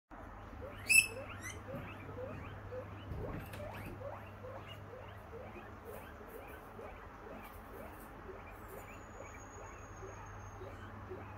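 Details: Pet guinea pig giving a run of short squeaky chirping notes, each rising quickly and repeated several times a second for the whole stretch, over a steady low electrical hum, with one sharp knock early on.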